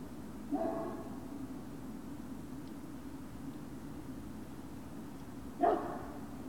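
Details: Great Dane puppies at Puppy Hill on the evening of 19 February 2019: two short, sharp yips about five seconds apart, each rising briefly, over a steady low indoor hum.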